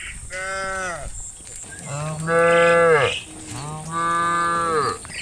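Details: Cows wandering the fields at late afternoon, calling their friends home to the barn: three loud, rich, low moos, the last two long and sustained, separated by brief pauses, with a thin high insect whine in the background.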